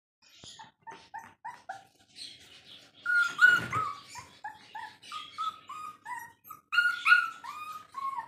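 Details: Rottweiler puppy at a pet shop in Rampurhat, Birbhum, West Bengal, giving a string of high, thin whines and yelps, several each second, some short and falling, others longer and rising. A few louder cries come in the middle and near the end.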